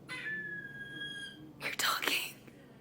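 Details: A pet squirrel gives a thin, high, drawn-out squeal, a new voice whose meaning the owner is unsure of, followed by breathy human whispering.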